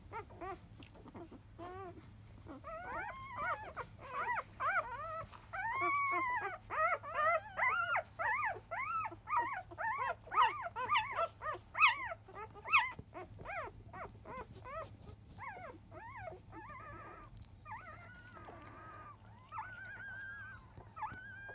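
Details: Litter of five-day-old field Labrador Retriever puppies from Biscuit, 2017 JFA Grand Champion, during 10 a.m. feeding; loud insistent whimpering that swells into a dense chorus of wavering whines midway, then thins to a few drawn-out cries.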